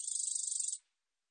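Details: [['A black-edged katydid (검은테베짱이), from a 2020 National Institute of Biological Resources recording, gives a high, rapidly ticking buzz already underway that stops abruptly after under a second, followed by silence.']]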